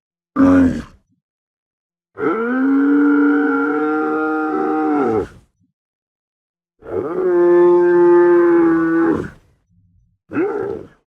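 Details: Camel producing rhythmic guttural groans: a short opening grunt, two long sustained rumbling bellows of about three seconds each separated by silence, and a brief closing grunt.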